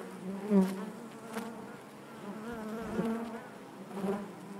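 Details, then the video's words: Honey bees humming inside the hive, a low steady drone with wavy harmonics and a few brief louder swells as bees pass close. "bees therapy hive natural buzzing sound"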